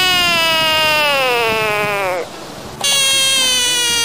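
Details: Frogs freaking out and throwing tantrums: a loud, harmonic-rich scream glides slowly downward for about two seconds, breaks off briefly, then resumes as a second sustained, steady-pitched scream.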